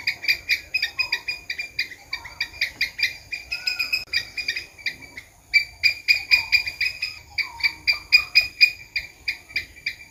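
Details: Rapid series of dry, clicking squirrel chucks, bursts of several pulses with a short pause near the middle, and occasional soft whistled notes beneath them.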